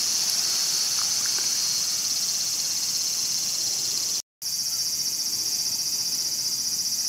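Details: ['Cicada caught and being eaten by a mantis, Showa Kinen Park, Tokyo, 2020; a steady high hissing buzz fills the clip, broken by a brief cut to silence around four seconds.']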